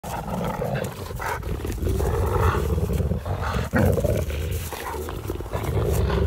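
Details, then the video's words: A Landseer Newfoundland dog, shown with a cat, gives a deep, rumbling growl that continues with little pause, swelling and easing through the clip over a low, steady background. "#newfoundlanddog #landseer #doggrowl"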